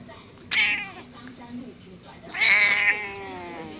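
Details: Cat aged 14 in Taoyuan, Taiwan, complaining about being kissed by her owner: a short sharp meow followed by a longer, louder, wavering meow that fades slowly, quiet room behind.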